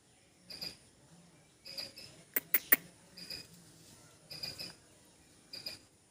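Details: A squirrel in a backyard gives short, scratchy chirps in irregular bursts, with a few sharp clicks between them.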